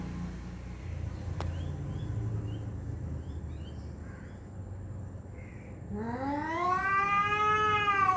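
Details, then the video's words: Domestic pet cat making loud fighting sounds toward another cat hiding beneath a car; after several seconds of low rumbling background noise, one long, rising, strained yowl breaks out near the end. "loud cat sounds"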